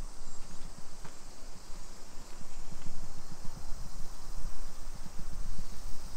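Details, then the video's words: Unbroken high-pitched summer cicada drone on a suburban walk in Nisshin city, Aichi, Japan, at 2 PM on 28 July 2021, with footsteps and a single sharp click underneath. "Summer Cicadas Sounds"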